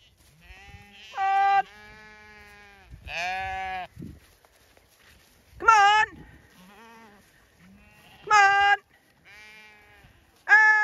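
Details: Zwartbles lamb flock on a regenerative farm in County Kilkenny, Ireland, being called to move into fresh grazing; repeated overlapping bleats from several lambs, some loud and quavering, others fainter and farther away, with a farmer's calling voice in between.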